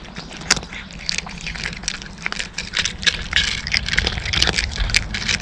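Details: Close, bright crunching as a cat eats dry kibble, with rapid irregular cracks and gritty grinding that runs almost without pause, plus some low rumbling underneath.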